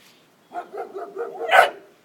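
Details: Pet dog Kisses yaps at a little turtle: a rapid string of short, high barks over about a second, ending in one louder, sharper bark, with quiet room background.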